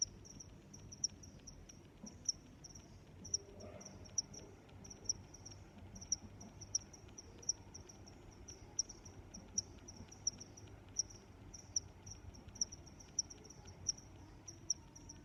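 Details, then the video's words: Cricket chirping outdoors, high pulsed chirps repeating steadily, with a sharper accent roughly every second and a faint low hum underneath. "Sounds of Crickets"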